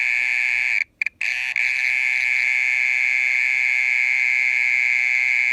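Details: Mole cricket calling at night, loud and persistent for over half an hour: a steady, unbroken high buzzing trill at one pitch, briefly interrupted twice near the start, then continuing without pause.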